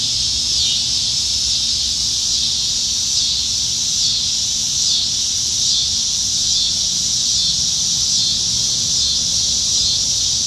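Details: Chorus of abundant cicadas up in the trees during a Nebraska summertime evening, July 2019; a constant shrill, sizzling drone that throbs in soft regular pulses, accompanied only by a dim low background rumble.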